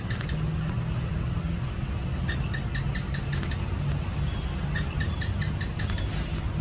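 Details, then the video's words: Sharp, evenly spaced clicking chirps from a house gecko come in two runs through a loud, steady engine rumble, with a brief hiss near the end. "เสียงร้องจิ้งจก ร้องยาวๆ"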